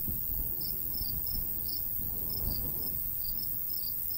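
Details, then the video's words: In a summer countryside by a golden wheat field, crickets sound loose, irregular high chirps, some doubled, with a rumbling light breeze below and a steady high hiss. "Countryside/cricket sounds"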